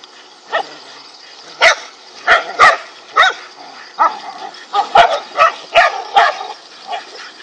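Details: Five angry dogs attacking a king cobra, barking in a rapid irregular volley of sharp barks, roughly ten or more in quick succession with short gaps, some overlapping.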